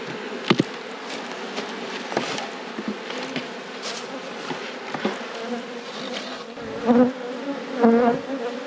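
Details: Colony of honey bees in an apiary at peak production, inspected by its keeper: continuous buzzing hum broken by sharp clicks and knocks of hive equipment, with a louder swell of buzzing toward the close.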